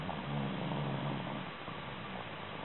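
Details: Shih Tzu dog, deeply asleep, snoring: a low, rough, droning breath with a steady hum that lasts about a second and a half, then fades into faint room hiss.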